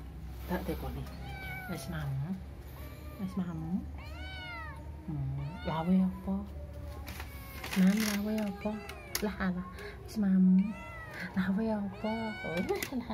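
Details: Domestic cat meowing while a person talks to it: drawn-out, bending meows alternate with a woman's voice, with low room hum beneath.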